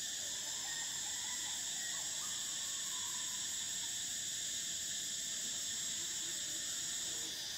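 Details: Cicadas in a continuous shrill chorus, a steady high hiss that holds unbroken for the full length, with fainter bands below and a few soft lower notes in the background.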